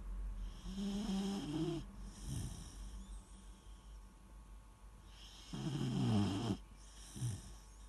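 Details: Deep, buzzing snores from a sleeping Weimaraner puppy: a long rattling inhale, a soft snuffle, then a louder grinding snore and a brief final snort, with a quiet room hum throughout.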